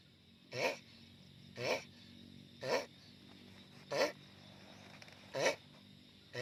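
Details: Giant sulcata tortoise making loud noise: six harsh, strained grunts, each a short burst with a low wavering tone beneath broad noise, spaced about one second apart against a quiet background.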